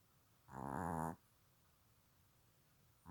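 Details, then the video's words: A Silky Terrier snores in its sleep: one loud, buzzy, vibrating inhalation lasting under a second, followed by quiet room tone and the start of the next breath. "강아지 코골이"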